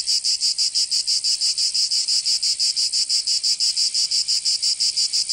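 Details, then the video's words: Cicadas singing in summer in Provence, southern France: a loud, high-pitched, harsh buzzing chorus pulsing steadily about three times per second, with no other sounds. "Canto Cigarra 🦗 [ Escuchar les cigarras en verano"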